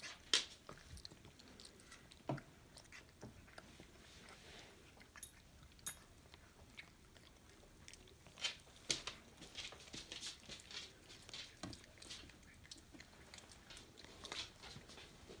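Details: Pet raccoon named Leonid eating indoors in a small room: crisp crunching and biting clicks, irregular bursts of bright crackly chewing with short pauses, louder crunches near the start and around eight to ten seconds.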